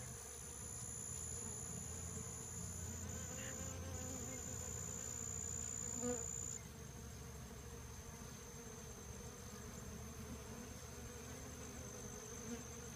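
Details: Western honey bees swarming Rio Grande purslane at the LSU AgCenter Hammond Research Station, Louisiana, give a steady, low droning buzz with a thin high whine behind it.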